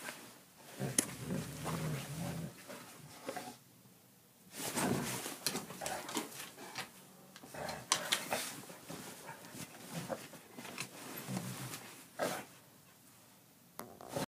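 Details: Declan, an Irish Setter aged two, going wild after eating: repeated harsh growly bursts and huffing pants, interrupted by brief quieter pauses, with scrambling and knocking sounds in a small room.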